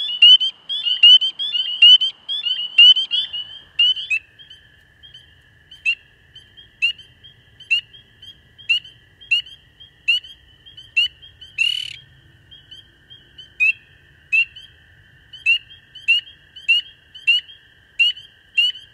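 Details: Spring peepers in Canada give high, clear peeps, each a short rising whistle, repeated roughly once a second.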